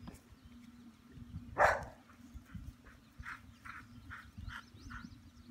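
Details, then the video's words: A farm dog barking at thunder, unsure where the rumbling comes from; one loud broadband bark near the start, followed by fainter, shorter barks spaced about every half second, over a steady low outdoor hum. "Dora Barking at Thunder"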